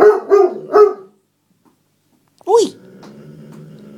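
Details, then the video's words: Otterhound/Spinone mix Max protests indoors after his seat was taken. Three quick, loud barks come in a row, then a pause and one higher rising-falling yelp, followed by a low murmur. "Otter hound/Spinnone Max Having A Tantrum"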